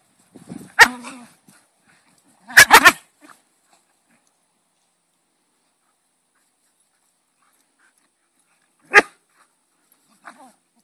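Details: Two dogs playing: Molly, a visiting goldenpoo, and Yvaine, a cocker spaniel. Sharp, rough barks and snarls come in short bursts, one near the start and a clustered double burst soon after, then quiet, one sharp bark and a faint final sound.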